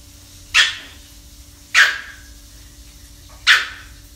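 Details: Female Shih Tzu puppy, 45 days old, in her first days at a new home, gives three short, high, sharp barks spaced a second or two apart.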